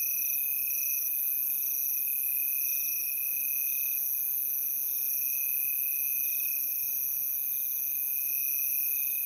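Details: Crickets trilling in a dense, unbroken chorus, several steady high-pitched tones layered over one another with no pauses and no other sounds.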